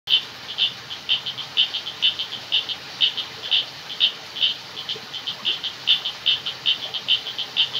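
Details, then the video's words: Frogs calling in a jungle at night: rapid, high-pitched clicking notes repeated about twice a second in an uneven rhythm, over a steady hiss of insects and water. "Jungle Night Sound Effects |Frogs, Crickets,Water"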